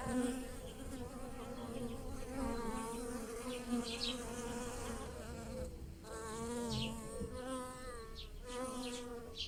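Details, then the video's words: In a garden of flowering lilacs, bees buzz while pollinating: overlapping droning hums that swell and fade, a brief dip near the middle, with occasional short high bird chirps in the background. "The wonderful scent of lilacs and the buzzing of bees in the garden"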